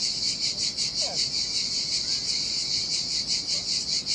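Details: Cicadas calling in the heat by the Sardinian sea, deserted sandy beach: continuous sizzling high-pitched buzz with rhythmic swells roughly every 0.4 seconds, over a soft low wash of waves.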